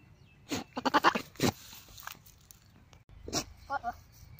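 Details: Mating call of a goat, a stuttering, vibrato-like bleat of several fast pulses that ends in a drawn-out cry, followed after a pause by a shorter broken bleat and a few faint low pulses.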